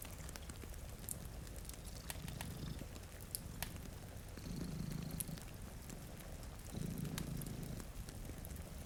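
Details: Sleeping cats, two of them, purr in front of a rainy window by a cozy fire; a soft, deep rumble pulses in rhythmic swells, overlaid by frequent fire crackles and a quiet wash of rain.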